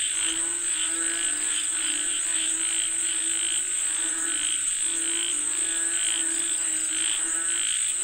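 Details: Frogs calling for rain, heard as a thick wall of repeated harsh croaks pulsing without pause, accompanied by a steady piercing insect whine.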